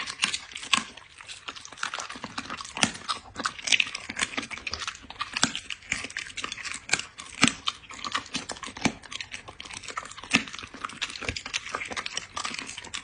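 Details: A dog eats during a close ASMR-style recording, making a fast, steady stream of sharp crunching clicks and gnawing that runs with little pause across the whole stretch.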